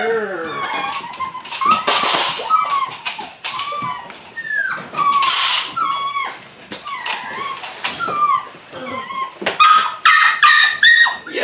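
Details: Belgian Malinois puppies, eight weeks old, at the start of bite work training: scattered short whining yelps that bend upward and fall, mixed with sharp clattering knocks and scuffling noise.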